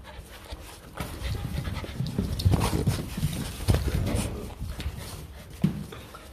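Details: Two Rottweiler puppies just over two months old, excitedly chasing the camera image on a phone screen, panting in quick, rough, breathy puffs at about three to four per second, low and muffled, with some handling rustle.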